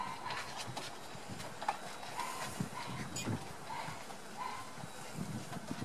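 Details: Border Collie puppies, one month old, playing and exploring new sounds. Brief squeaky whimpers repeat roughly every half second over soft rustling and light handling noise.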